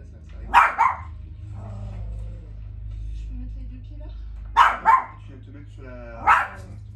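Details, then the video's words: Chihuahua barking at the TV indoors: a sharp single yap, then a quick double bark, then another lone bark, spaced a few seconds apart, with faint French television speech in the background. "chihuahua barking @ the TV"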